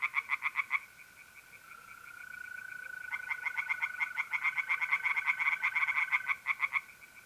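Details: Night chorus of tree frogs at a pond in north-east Italy in April. A burst of rapid pulsed croaks is followed by a pause, then several frogs call together in dense overlapping trains. A steady mole cricket trill runs throughout.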